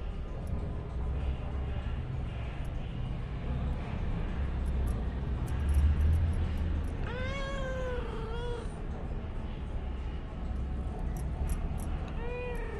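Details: Pet cat meowing while its owner talks to it in Telugu: one drawn-out meow that rises then falls, a short second meow, and a brief meow near the end, over steady low background hum.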